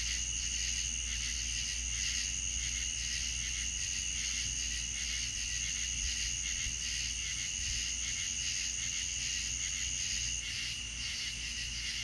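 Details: Crickets on a southern night keep up a steady, high, shimmering trill that runs almost unbroken throughout.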